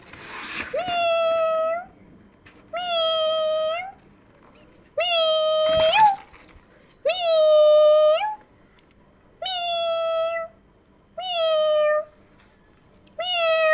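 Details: Kittens indoors reacting to a meowing sound: seven loud, drawn-out meows, each steady and slightly rising at the end, repeated roughly every two seconds with near-identical shape; a brief rustling burst near the middle.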